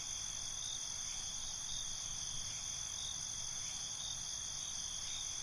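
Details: Dense nocturnal chorus of crickets, an unbroken high, buzzy shimmer holding steady throughout, with only slight flickers in loudness and a soft low background noise.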